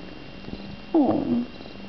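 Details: Three-month-old female Balinese kitten indoors, making a single brief, warbling chirp-like trill that wavers and then fades, in a quiet room.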